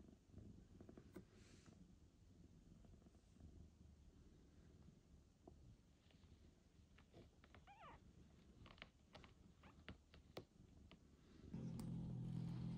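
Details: Mother cat meeting her newborn kitten Michael for the first time after a difficult birth and surgery and several days at a veterinary clinic. A low, steady rumbling purr continues throughout, with soft clicks, rustling and a louder rumble near the end.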